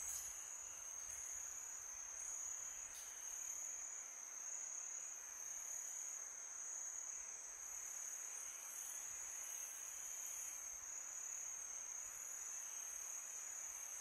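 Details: Crickets chirp on a peaceful summer night in a steady, high-pitched trill over soft wind.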